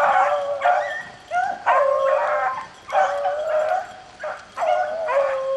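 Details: Beagles rabbit hunting in the rain, baying in long drawn-out howls around a steady pitch with rising overtones, several voices overlapping in bouts that break off and restart roughly every one to two seconds.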